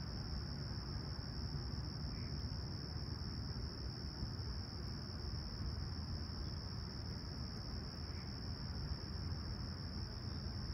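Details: Chirping crickets on a calm, clear July 28, 2020 morning in Toronto's Humber Bay Shores at sunrise; a steady, even high trill runs throughout, nearly buried under a dominant low urban rumble.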